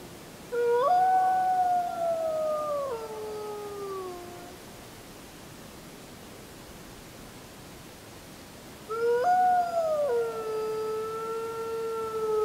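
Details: Gray wolf (Canis lupus) at night under a full moon on 31 July 2015 gives two long, smooth howls, each rising briefly then sliding down in pitch.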